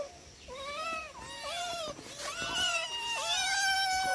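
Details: Four domestic cats calling while being fed indoors: overlapping rising-and-falling meows, some drawn out and wavering, others short, several voices together at about one call per second.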